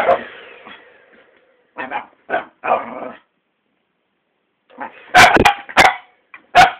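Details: Jack Russell x Staffy cross dog reacting to a hair dryer: a low, drawn-out grumbling growl and short muffled woofs, then a pause, then a burst of loud, sharp barks near the end.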